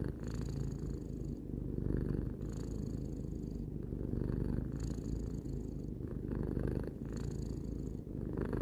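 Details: Tarou, a three-year-old domestic cat, purring steadily: a dense low rumble that swells and eases in long breaths, each inhale-exhale cycle lasting roughly two seconds, with a faint airy hiss on some breaths.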